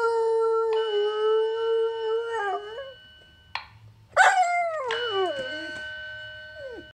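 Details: Alaskan Malamute, not amused by a yearly fire alarm test, holding a long steady howl that breaks and trails off, then a sudden louder wavering howl sliding downward, with the alarm's steady tones throughout.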